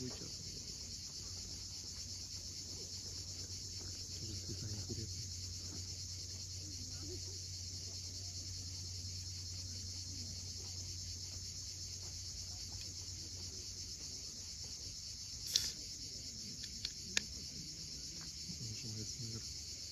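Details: Crimean cicadas at sunset on the steep cliffs of Cape Fiolent make a continuous, even, shrill hiss throughout, over a low rumble of waves, with a couple of sharp clicks near the end.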